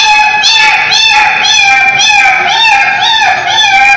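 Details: Street dog crying: short, high whining yelps, each bending up then down, repeated about twice a second in a steady, insistent series with no other sounds.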